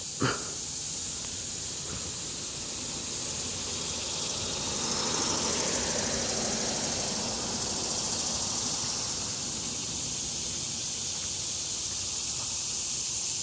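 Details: In summer in an urban neighbourhood, annual (non-periodical) cicadas fill the air with a steady, high, hissing buzz that never pauses; loud in person but less echoey than 17-year cicadas.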